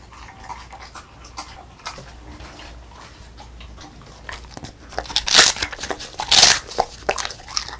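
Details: Female beagle with a puffed rice snack: mostly quiet faint chewing at first, then after about five seconds a few loud brittle crunches and crackling bites.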